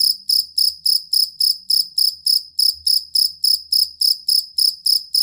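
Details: Fighting cricket, jangkrik kalung, used as a song model for pet songbirds: clean, regular shrill chirps at about three and a half per second, with only faint low rumbling beneath.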